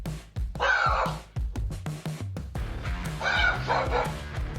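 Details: Dog on a home security camera barks twice in short, rough bursts, heard by a koala that had wandered up the driveway, over background music.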